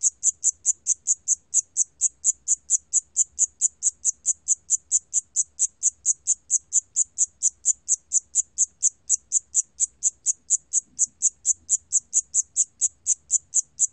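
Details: Siamese cricket from a 2020 National Institute of Biological Resources recording: a steady train of short, high, shrill chirps, about four per second, continuing without a break over a quiet background.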